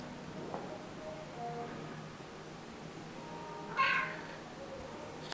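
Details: A male Siamese cat talks back with a short, bright meow, rising then falling in tone, during his favourite peek-a-boo game. Finding: Siamese cat.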